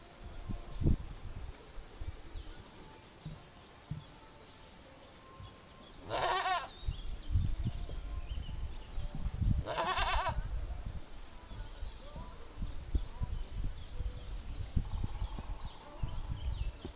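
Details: Laughing Cameroonian goat, a dwarf breed of domestic goat (Capra hircus), giving two strongly quavering, tremulous bleats about four seconds apart, between low thumps and rustles.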